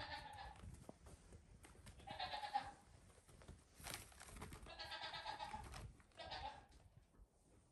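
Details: Playful goat kids, only days old, on a farm with their mother nearby; repeated nasal bleats, four or five in under eight seconds, some longer and quavering, over rustling and soft knocks.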